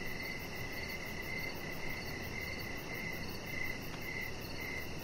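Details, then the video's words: Crickets in the evening outdoors near a deck: even, bright chirps roughly twice per second, with a single brief click partway through and a low steady hum behind. "Chihuahua Puppy Laying On Deck with Cricket Sounds"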